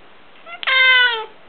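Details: Male pet cat begging for prawns indoors, giving a loud, strained, slightly falling meow rich in harmonics, preceded by a soft short squeak.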